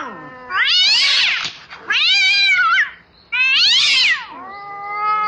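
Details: Domestic cat calling out for a mate at night. Loud, high, strained yowls arch up and then fall away, three in quick succession, followed by the start of a steadier, lower meow.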